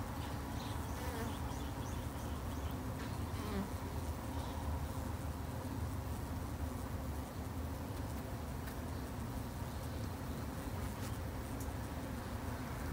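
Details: Colony of Japanese honey bees in a garden apiary kept for conservation by a novice beekeeper, producing a continuous deep buzzing drone that holds even for nearly thirteen seconds, with occasional faint higher ticks.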